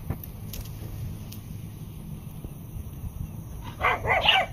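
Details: Three Pembroke Welsh Corgis herd a miniature Jersey bull, chasing him off on command when he acts aggressively; a quick burst of two or three sharp, mid-pitched barks over a low rumble.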